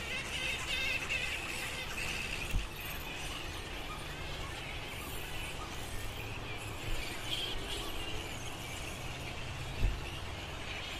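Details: Giant fruit bats of the Lansvale flying fox colony in Sydney, a busy chorus of high squeals and scratchy chatters, with a few sharp clacks standing out and a low steady hum behind.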